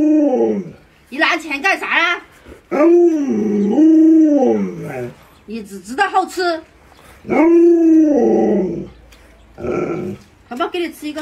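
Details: Pet Alaskan Malamute Luoluo, startled by its masked owner, answers with sustained wavering howls, each a second or more long and rising then sagging, alternating with choppy talk-like vocalising and human speech in a small room.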